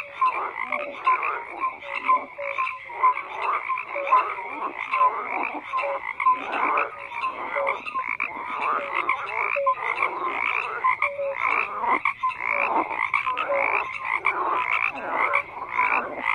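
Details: Continuous chorus of croaking frogs, with rapid overlapping pulsed calls and short tonal notes from many individuals, steady across the whole stretch without pauses.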